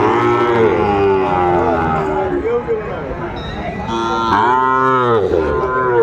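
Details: Sahiwal cattle at a Kurigram market in Bangladesh, 14 December 2024: several drawn-out, tonal lows with bending pitch, one strong swelling moo near the end, over steady market crowd noise and music.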